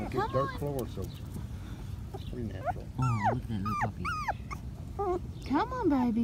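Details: Five-week-old Patterdale Terrier puppies at a PVC-pipe earth tunnel let out high, arching whines and whimpers that rise and fall in pitch, mixed with a person's encouraging voice.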